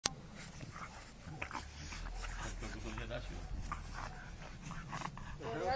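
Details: An English Bulldog, play-fighting with a French Bulldog, gives rough, throaty growls and snorts while a person talks nearby.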